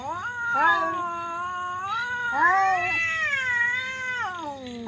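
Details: Cats fighting with loud, weird caterwauling: rising and falling wailed yowls overlapping one another, ending in a long downward slide.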